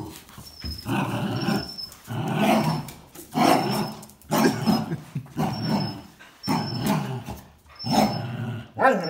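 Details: Towel tug-of-war between a Jack Russell Terrier and two Border Collies: throaty growl bursts roughly once a second, each rising then fading, with brief quiet gaps between and a faint high tone in the background.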